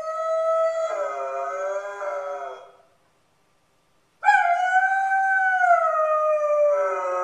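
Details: Alone in the new house, the dog Spartacus lets out a steady, drawn-out howl that dips slightly in pitch, falls silent for over a second, then starts another loud, even howl.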